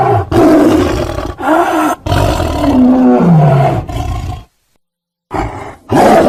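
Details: Tiger giving short, hoarse roars and moaning calls, one sliding downward in pitch, then a pause and another rough roar.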